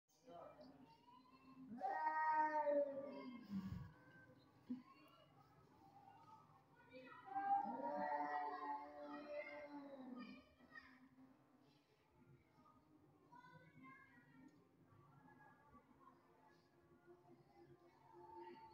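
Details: Domestic cat, described as sad because it believes its owner has replaced it with another cat, giving drawn-out, wavering, mournful meows, one burst near the start and a longer one midway, with speech and soft music in the background.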